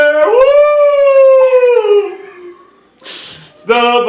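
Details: Schnauzer singing along with the national anthem, giving a rising then long sustained howl that slowly sags and fades, followed by a brief noisy breath and a fresh howl starting, with anthem words faintly behind.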